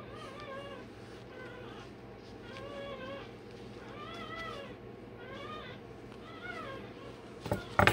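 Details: Day-old Rottweiler puppy crying while having its tail and dewclaws done: high, arched squealing cries rich in overtones, given in bursts roughly every second, over a steady low hum, with a sharp clatter just before the end.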